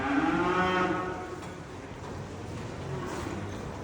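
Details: Pregnant Danish Red heifer, purebred breeding stock on a Turkish farm; a single rising moo in the first second with rich harmonics, fading into quieter barn background with faint low lowing afterward.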